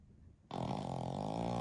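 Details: A Pekingese x Shih Tzu mix dog naps deeply alongside its family, a father, a mother and their eldest daughter, all flat-faced mixed-breed dogs. After a quiet start, a loud, buzzy, rumbling snore begins abruptly and holds steady and even for over a second.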